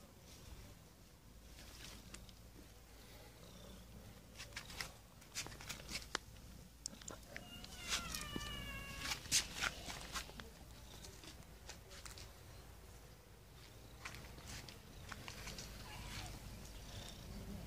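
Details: Stray domestic cats in a garden. A short harmonic cry rises and then holds near the middle, set among sharp clicks, rustling and a low steady background hum.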